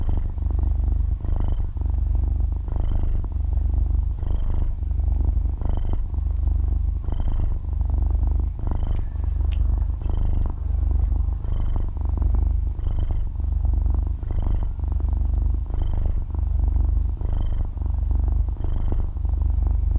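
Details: Six-month-old kitten purring in its sleep, stereo close recording; deep rattling purr with inhale-exhale pulses about every one and a half seconds, each paired with a small high-pitched wheezy squeak, quiet background.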